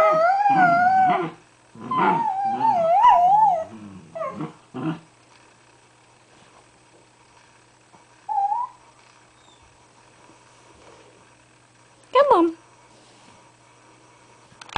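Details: Two Dachshunds squeezed together inside an igloo bed give a run of wavering, warbling whines and throaty grumbles like gremlin noises, then fall mostly quiet; after a long pause, two brief rising yelps.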